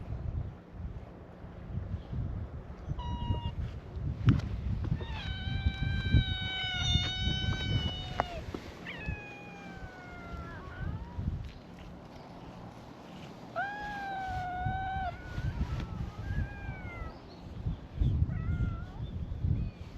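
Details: A chorus of meows from free-roaming cats gathered on a cat island, greeting an arriving visitor. Many calls overlap and follow one another, some long and level, others short and bent. Low outdoor background noise continues throughout.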